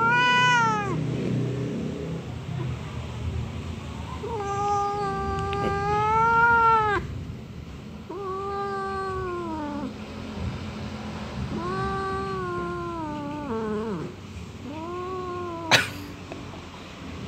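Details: Orange domestic cat, sulking and angry, gives long drawn-out moaning meows with rising then falling pitch, about five calls spaced a few seconds apart, the last ones shorter and wavering, with a sharp click near the end.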